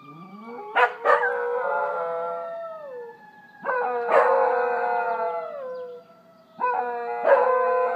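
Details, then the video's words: Scottish Terriers howling in chorus: three sustained, harmonically rich bouts of about three seconds each, overlapping voices holding steady tones that slide downward as each bout fades, separated by brief quiet gaps. "Singing Scotties"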